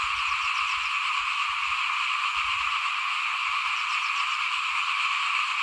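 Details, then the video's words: Frogs croaking outside a house while rice is being sown in 2021, a thick continuous chorus with rapid pulsed notes rippling over a steady high buzz, plus soft low thumps. "ฟินๆกับเสียงเขียดร้องหน้าบ้าน ตอนหว่านข้าวเตรียมปลูก"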